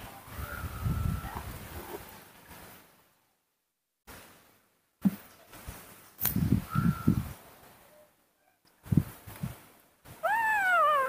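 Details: Baby monkey named Nomi, a rescued infant cared for at home, getting angry when hugged; thin high squeals held steady in short bursts, then a loud harmonic squeal rising and falling at the end, amid rustling, low thumps and brief human voices.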